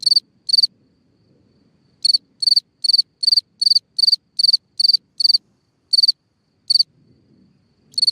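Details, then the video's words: Night-time cricket singing at a hole in the ground, a run of evenly spaced pulsed chirps after a pause, then sparser chirps, in an otherwise quiet setting. "Watch and Listen a singing Cricket (Chirping sounds, Hole in the ground, Night Ambient Sounds)"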